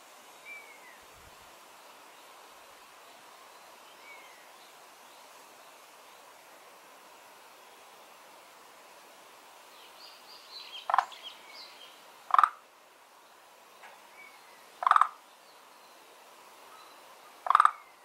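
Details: Frog living in a garden pond, one of two unnamed kinds settled there; quiet at first, then four short, harsh, throaty croaks in the last eight seconds, spaced about two seconds apart, with faint bird chirps behind.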